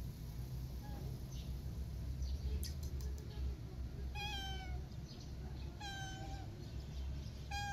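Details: Scared kitten left behind by its mother cat, refusing to be touched; three clear high-pitched meows with bright stacked harmonics, spaced about two seconds apart in the second half, over steady low background rumble.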